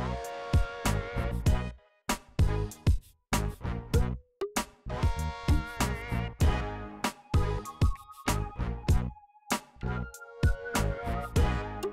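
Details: Funky, groove-based band music with punchy bass hits and short pauses fills the recording, and no animal can be heard.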